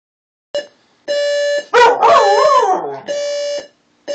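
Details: Pet dog howling in response to an alarm clock: steady electronic alarm beeps start and stop, and between them a rising, wavering howl with a sharp onset lasts about a second and a half.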